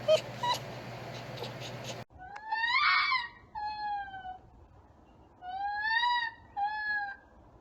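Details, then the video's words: Captive pet red fox making high, nasal whining calls in four short bursts, some rising then falling. A stretch of muffled noise comes first, and a quiet background hum runs underneath. "The many Sounds of a Red Fox."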